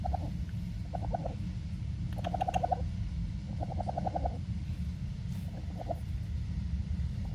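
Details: Raccoon; chirring; contentment, a happy sound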